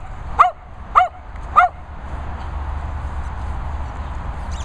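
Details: Dog at a licensed training and boarding kennels in the Worcestershire countryside, giving three sharp, ringing barks about half a second apart, then a steady low hum with a faint distant yip.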